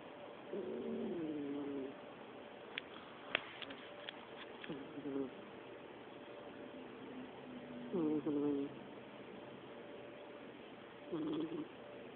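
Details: Chia, a pet cat, snoring while asleep: wavering, nasal, tonal snores with a slightly whistled edge, each lasting about a second and recurring roughly every three seconds, with faint clicks and a quiet background between breaths.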